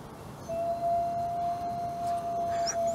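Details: Alawa, a captive-born male gray wolf at a wolf conservation centre in South Salem, New York, gives a long, steady howl held on one clear, even pitch.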